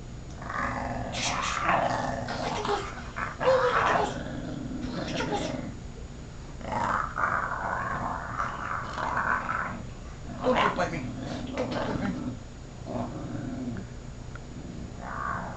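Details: Puggle, a pet dog, growling when its paws are handled; rough, rumbling growls in bursts of one to two seconds with short pauses, repeated through the clip, indoors with little else heard.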